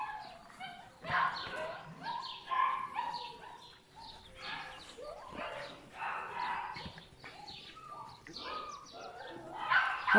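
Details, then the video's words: Several litter puppies whimpering and yipping together, overlapping high tonal whines rising and falling in quick bursts, with brief human speech now and then. "Chiots de my black butterfly et bayleys"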